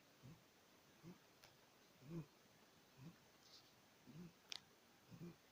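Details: Maine Coon kitten, six months old, asleep and snoring: gentle low puffs roughly once a second, slightly uneven, with a faint click or two in a quiet indoor room.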